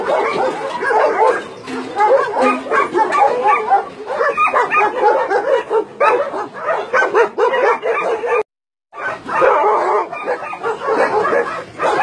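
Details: Barking from a crowd of roughly 150 dogs, among them Doberman, Shar Pei, Chow Chow and Golden Retriever, at a meat farm and puppy mill in Nonsan, South Korea, January 2017; steady dense yapping, briefly cut to silence near the end.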